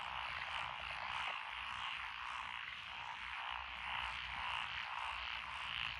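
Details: Chorusing frogs in lotus paddy fields near Echizen, Fukui Prefecture, recorded June 12, 2021; a pulsing, throbbing wall of croaks, swelling and fading in quick rhythmic waves almost two per second.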